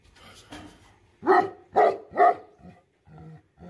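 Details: Angry Tibetan Mastiff, locally called Bhote Kukur, giving three loud, harsh barks in quick succession about half a second apart, followed by softer, lower grumbling sounds.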